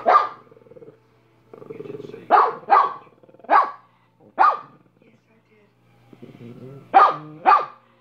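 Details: Dog barking in sharp pairs and singles. Between the barks come low growly, whining sounds, and a faint hum runs underneath.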